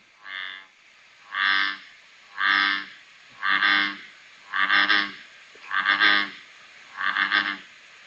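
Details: An American bullfrog's jug-o-rum call, sounding from a pond. Seven deep, twangy croaks repeat steadily about once a second, the later ones slightly throbbing.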